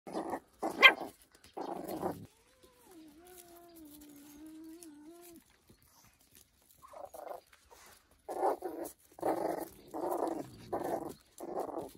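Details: Puppy barking at a cat, trying to show it is strong and angry: three quick yappy barks open, then a long wavering tonal growl, then a steady run of short barks about once a second.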